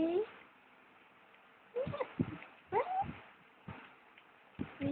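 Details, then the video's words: Cookie, a female pet dog, whines and cries indoors at 1am on 29 August, sitting beside her owner packing for a day trip to Turi Beach; short high wavering whines rise and fall between bursts of human speech. "Cookie - The dog who Cries"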